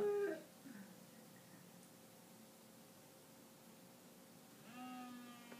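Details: A 4-year-old Soft Coated Wheaten Terrier howls along to wolf sounds, giving short, tonal howls that slide down and then rise, over a faint steady drone.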